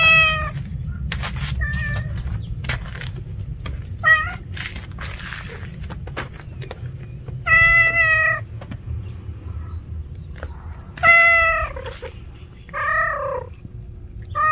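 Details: Stray cat calling repeatedly outdoors, a series of short to medium meows, some rising then falling, separated by pauses of several seconds, with faint background rumble and scattered clicks.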